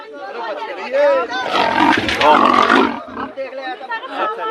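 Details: Leopard caught in Moradabad, locked in a forest department cage of thick iron bars, chewing wood and gnawing the cage mesh while villagers crowd around; a rasping, broadband roaring burst sounds mid-clip, overlapped by men talking and calling out.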